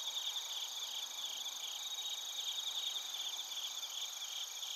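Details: Dense night-insect chorus of bell crickets and crickets from Narita, Chiba, Japan, on a TASCAM Portacapture X8. Overlapping high chirps blur into a steady shimmering trill, with several continuous ringing tones above.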